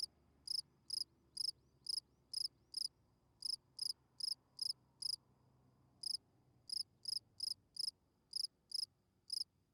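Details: Field cricket singing at night to attract females, its chirps high and pulsed, repeated about every half second in groups, with a short pause near the middle and a soft low background rumble.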